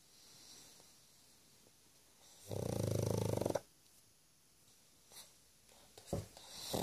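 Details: Pug snoring loudly while asleep indoors: one long buzzing, rattling snore lasting about a second, followed by quiet breathing and faint rustles.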